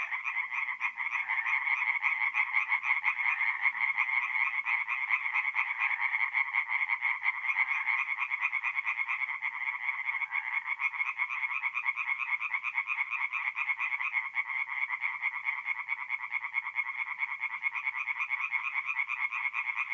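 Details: Tree frogs singing at night at a forest pond in mid-April, North-East Italy: a dense, unbroken chorus of rapid rasping croaks, many overlapping callers pulsing quickly throughout, no other sounds.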